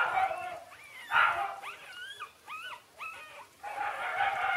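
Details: Six-day-old Shiba Inu puppies, Ôkami and Ikkyu, giving thin whistled whimpers that arch up then fall, several short cries in quick succession, framed by louder broadband bursts of rustling or voices.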